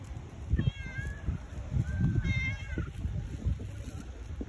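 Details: Tabby cat wanting affection gives two clear, tonal meows, each sliding slightly downward and lasting under a second, over a constant low rumbling and soft handling noise.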